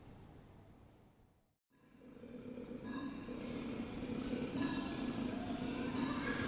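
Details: A seemingly bored koala at Ocean Park Hong Kong in May 2018 gives what is said to be its mating bellow, a deep, rasping, snore-like drone that pulses steadily after a brief gap.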